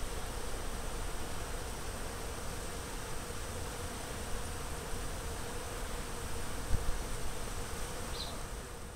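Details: Honey bees on garden blossoms along the Fresno County Blossom Trail in February 2011 make a steady, droning buzz over a low rumble of background noise.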